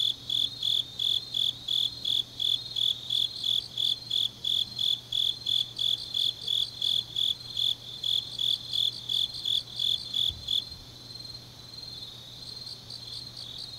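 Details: Deep-night autumn chorus of grass insects from Changnyeong, South Korea, where a loud pulsed chirp repeats roughly three times per second for ten seconds, then stops, leaving a softer continuous insect trill over a faint low hum.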